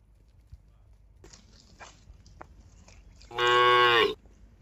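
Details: Tame cattle from a cattle farm, a herd heading along a mining road toward a green village; after quiet shuffling and faint taps, one loud, deep moo lasting nearly a second.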